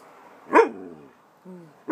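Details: Pet dog Spike asking for his dinner with short barks: one abrupt bark trailing into a brief whine, a soft low whimper, then a second sharp bark, indoors while a person coaxes him.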